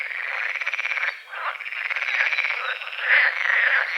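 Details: Morning frogs over a foggy forest-edge lake at dawn: an unbroken, buzzy rattling chorus of rapid pulses that dips briefly, then swells louder toward the end.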